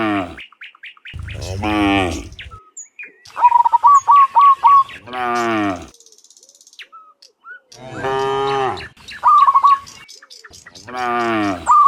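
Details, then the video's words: Dozens of cows walking home from the fields to the pen in the afternoon; repeated low, harmonic moos lasting about a second each, with bright bird chirps in the gaps. "Dozens of Moo Cows Walking Home from the Fields to the Pen in the Afternoon, Sound of Cows"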